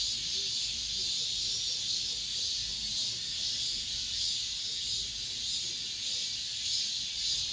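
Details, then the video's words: Apartment-complex cicadas in late summer, the year's last song: a continuous piercing electric buzz with gentle regular pulses, faint low murmur underneath. "올 여름 마지막 매미소리"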